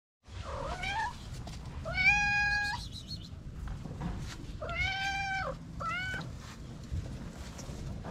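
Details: White mother cat with four little kittens, feral street cats: a series of harmonic meows, the first rising, then a long flat meow, a falling arched one and a short final call, with low steady background rumble.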